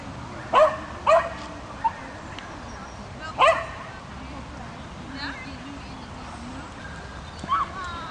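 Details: Swedish Vallhund bitch running an agility course after two months of training gives quick sharp barks, a pair close together, another burst near three and a half seconds, then a softer yip near the end.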